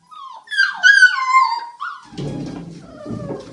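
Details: Belgian Malinois puppy Rea playing with her littermates gives a long harmonic whine that starts high and slides downward in steps, followed by rustling, scuffling play noise and a faint thin squeal.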